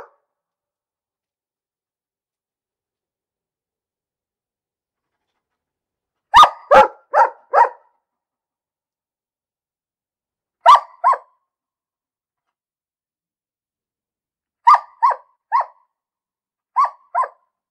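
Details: Dog barks in spaced clusters: after a long silence, a run of four barks, then two, then four more and a closing pair, each bark short and mid-pitched; no other noises.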